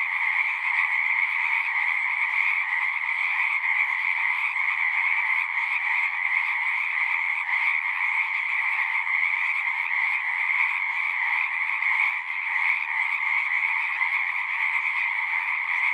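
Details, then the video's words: A large frog chorus in a natural setting, unbroken overlapping trills forming a steady droning texture, two bright bands of calling holding even loudness for the whole stretch, apart from one brief dip late on. "One hour of singing frogs."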